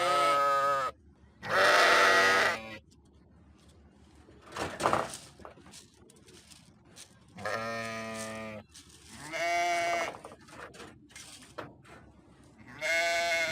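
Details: Sheep bleating: five wavering, harmonic-rich bleats of about a second each, spread over the recording, the second loudest and brightest, with a short noisy rustle in a quiet gap near the middle.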